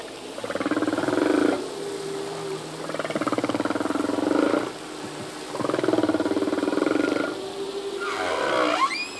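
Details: Underwater song of a male humpback whale, possibly to attract a mate or defend territory: three repeated pulsed, groaning units about two seconds apart, linked by thin tones, closing with a rising whooping upsweep.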